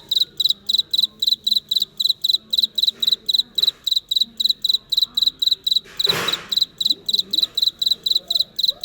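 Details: Real-life cricket giving rapid, high, ringing chirps in tight regular pulses, each pulse a quick double trill, while quiet Vietnamese voices murmur underneath and a short loud bump interrupts midway.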